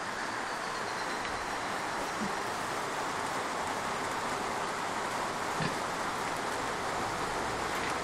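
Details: Steady broadband hiss like rain or rolling traffic fills the whole recording, with faint clicks and no animal voice.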